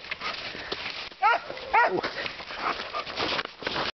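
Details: Pet dog barking in woodland, one of a pair out together, two loud ringing barks half a second apart followed by a softer yelp, set against a rustling, hissy background.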